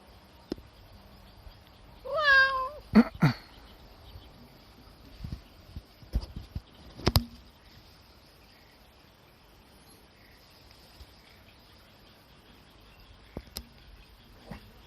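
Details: Cat sitting on a sunshade tarp that forms a hammock utters one bending, slightly rising meow, then a few sharp clicks and knocks follow before near silence.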